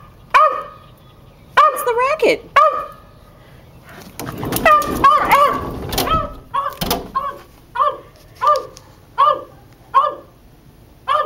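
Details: Dexter, a West Highland White Terrier, barks in the backyard, undecided about coming inside and jumping against the sliding glass door; sharp, high yappy barks come singly and in short bursts, about one per second near the end, with a woman's voice calling him in.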